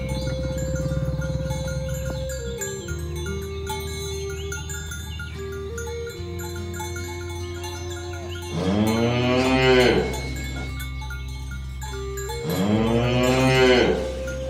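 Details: Cattle in a village herd being driven through a rice field ditch to the pen; after a stretch of music alone, two long, swelling harmonic moos sound about four seconds apart.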